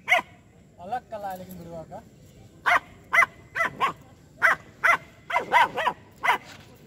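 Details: Aggressive two-month-old female German Shepherd puppy barking at a street dog and a buffalo, giving crisp single and paired yaps about every half second, preceded by a brief voice.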